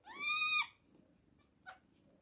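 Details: Two-week-old kitten at milk time gives a clear, high meow lasting about half a second, slightly rising then steady with bright harmonics, followed by a short faint squeak; quiet indoor room otherwise.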